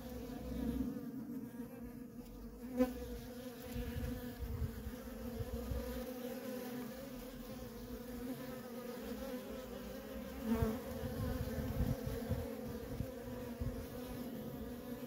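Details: Worker honey bees streaming in and out of a feral colony, producing a steady layered drone, with two brief louder passes near the hive where a single bee's buzz rises and fades.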